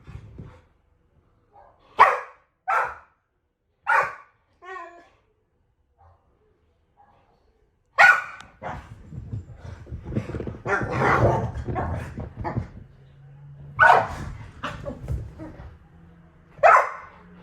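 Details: Dog giving short, sharp barks, three clear ones within the first five seconds, followed by further barks mixed with human voices and a murmur of background noise.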